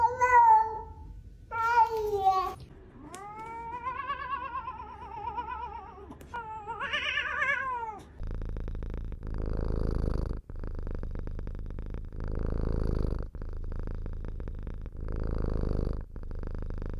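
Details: Domestic cat from a ranking of funny internet cat sounds: several short meows and a long wavering yowl, then a rising squeaky cry, followed by repeated bursts of broad rushing noise every couple of seconds.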